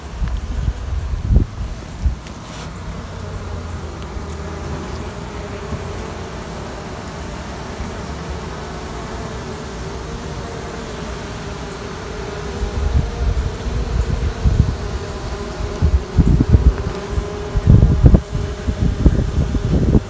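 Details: Queen rearing in a queenless honey bee colony: a steady mid-pitched droning tone runs under low rumbling noise, and louder thumps and rustling bursts crowd in over the last third.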